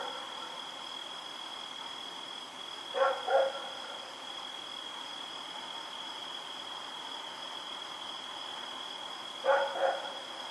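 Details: Barking at night from Rex, a dog running about in the dark on October 7, 2018; two double barks spaced about six seconds apart, with a constant high-pitched tone and faint insect-like background.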